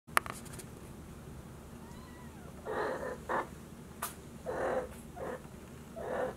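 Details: Maine Coon kittens George and Charlotte, at a Tokyo cattery, walking around a room three days after leaving the nesting box. Five short, high, harmonic mews come in uneven bursts over the last four seconds, with light tapping and room hush.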